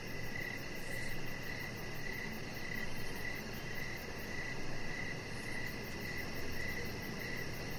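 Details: Evening crickets near a deck lit with decoration lights, with Rocket the chihuahua puppy lying nearby. A regular train of short, clear chirps sounds roughly twice a second against a broad background hiss and a fine, fast high-pitched pulsing.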